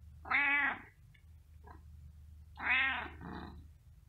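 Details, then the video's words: Domestic cat meowing twice, about two seconds apart; each meow is a loud, harmonic, slightly falling cry lasting under a second, with faint soft noises in between and a low steady background hum. "Che vuoi? Meow | What do you want? Meow"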